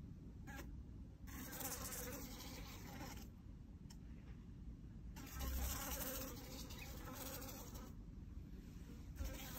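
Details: Fly with an annoying buzz. The droning wingbeat hum swells and fades in repeated bursts of a second or two, passing close and then away, over a steady low background rumble.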